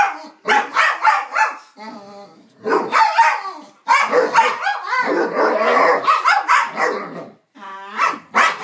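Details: Indoors, two dogs named Psyche and Harvey make strange noises at each other, with rapid rough barks and grumbling growls that run together into a noisy tangle, and a few thin, buzzy whines between bursts.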